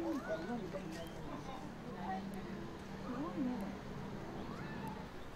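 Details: Giant panda Ri Ri on 7 Nov 2020 around 2 pm gives soft, wavering goat-like bleats, repeated in short bursts over a low hum, pacing by Shin Shin's door wanting in; owner wonders if missing Shin Shin or seeking attention.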